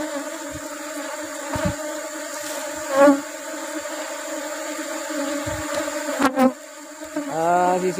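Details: Apis cerana bees humming softly as honey is taken in rubber blossom season: a quiet, steady drone with occasional taps, then a single bee's loud sliding buzz sweeping in at the end.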